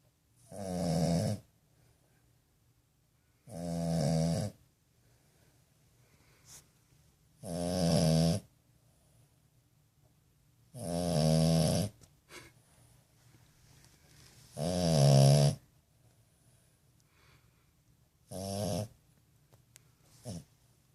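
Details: French bulldog puppy snoring while asleep indoors: six loud, harmonic, rasping snores, each about a second long, repeated roughly every three to four seconds with quiet breathing between.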